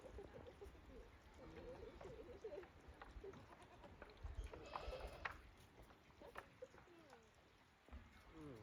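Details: Goats at Yoshigake goat farm on 28 December 2023, out again after heavy snowfall and stepping timidly across the snow; short wavering bleats come and go amid footsteps, handling noise and human voices.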